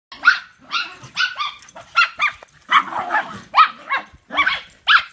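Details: Three dogs, two household dogs and an in-law's dog, bark while chasing each other in a game of follow the leader; sharp, high barks come in quick bursts, roughly two to three per second, with yips mixed in.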